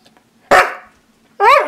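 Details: A Siberian Husky teased with treats gives a single loud bark, then a pause, then a rising-and-falling harmonic woo-like vocalisation. A person's voice is heard nearby.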